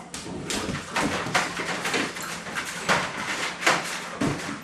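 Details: Energetic 11-week-old German Shorthaired Pointer puppies at play indoors after 25 minutes of running around outside, giving short, sharp yelps and barks in irregular bursts, roughly every two seconds, with faint household sounds.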